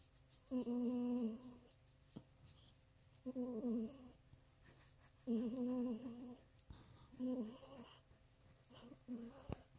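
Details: Miniature pinscher indoors making pleasure noises: low, humming moans in bouts of about a second, repeated four or five times with quiet gaps and faint rustling between.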